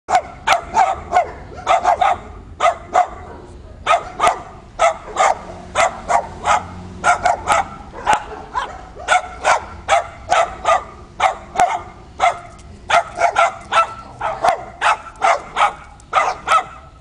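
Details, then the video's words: Dogs on a roof bark in a long, steady volley of sharp, clipped barks, roughly two per second for the whole stretch, with only brief gaps and a quiet background. "Barking doggies!"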